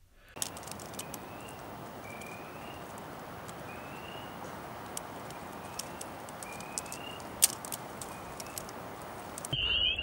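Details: Spring peepers, mostly, with a few chorus frogs and one leopard frog, in a spring frog chorus at Sax-Zim Bog, northern Minnesota, on 17 May 2020. The peepers give short, high, rising peeps over a dense, hissing chorus.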